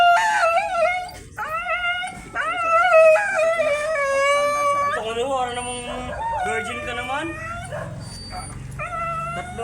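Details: Siberian Husky during a stud service session in Urdaneta City howls and yowls almost continuously, with wavering, rising and falling tones in repeated long phrases, broken by brief pauses, over faint background music.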